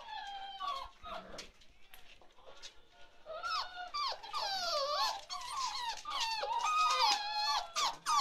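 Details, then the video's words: Chocolate Labrador Retriever puppies, 47 days old, indoors: a litter of high whining whimpers and squeaks, wavering and overlapping, growing busier and louder after the first few seconds. "Chocolate Labrador Puppies"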